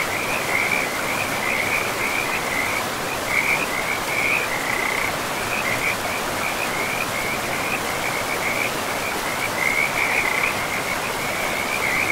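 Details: Frogs calling by a river in a pristine forest, a steady band of rapid, trilled pulses repeating in bursts throughout, over constant rushing water noise.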